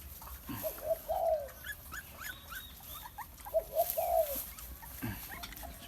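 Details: A Bangkaew puppy from Bai Tong's litter feeding from a big milk bottle whimpers in two short bursts of thin, high, slightly descending whines, with soft handling noises and faint voices around it.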